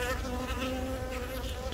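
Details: Hive of honey bees in Yongin Baegam, Korea, on 20 April, where a young queen from a natural swarm is laying eggs; phone recording. Continuous buzzy hum with a rich stack of overtones, fairly even throughout, over faint rustling.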